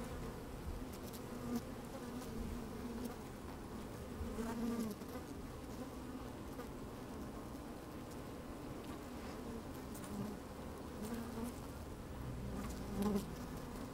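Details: Busy honey bees in an open hive, recorded with the microphone down inside on a fine sunny, slightly windy day: continuous low hum, several short swelling buzzes near passing bees, faint rustling throughout.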